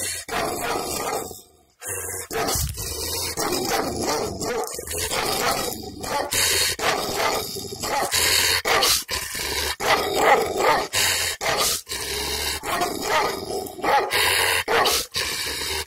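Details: Angry Kangal dog in a village, recorded with a camera microphone on a selfie stick: loud, harsh barks come in rapid, uneven runs almost without pause, with one brief quiet gap near the start.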